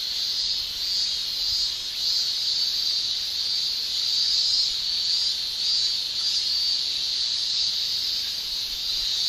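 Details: Summer in Japan, with male cicadas shrilling through their tymbals: a constant, high, hissing drone with small ripples in volume and no other voices or noises.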